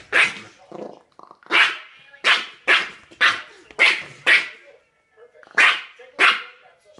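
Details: A Yorkshire Terrier barks at a cat, which hits it rapidly with both paws; sharp, high-pitched barks in an uneven series, some in quick pairs.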